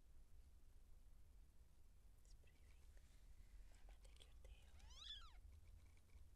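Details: Seal point Siamese cat in labour, giving birth to kittens; one arched, harmonic meow rises then falls near the end after quiet stretches, with faint scattered rustling and a low background hum.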